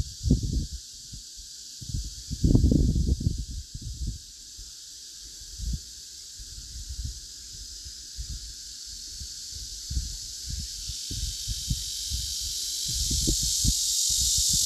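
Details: Asian honey bees in Korea sounding a collective warning signal as a defence against attacking hornets; loud low rustling bursts open, then scattered irregular pulses continue while a high hissing wash swells steadily toward the end.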